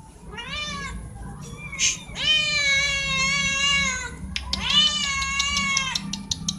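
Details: Four domestic cats meow loudly, as cats do when wanting something like food or attention; long sustained harmonic meows, one stretching nearly two seconds, with short clicks and taps between calls.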